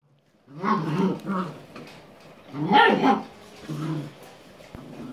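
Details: Playing puppies at the Viersenhoeve, 6 January 2016, growl in rough, low bursts: two close together, a louder, brighter snarling cry midway, then a softer growl and quieter grumbling to the end.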